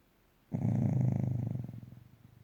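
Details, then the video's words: Dog asleep and snoring: one loud, low, vibrating snore that starts abruptly, holds for about a second, then fades in a rattling pulse. "Snoring dog"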